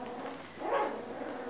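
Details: Siberian Husky puppy at the Krylatki kennel giving a short rising-and-falling yelping whine near the middle, amid a soft murmuring background.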